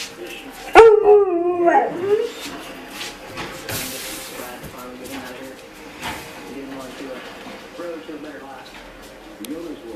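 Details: Alaskan Malamute puppies give a wavering, howl-like 'talking' vocalization rising and falling in pitch, on the first day of spring after a long, dry-ish winter, as if "talking" about the snow.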